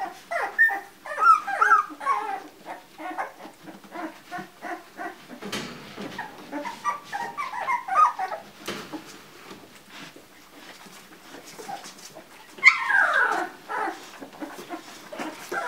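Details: Litter of two-week-old Labrador Retriever puppies being woken on 11 January 2016, giving rapid high squeaky whimpers and yips in overlapping bursts, with a louder sliding cry near the end and soft rustling between calls.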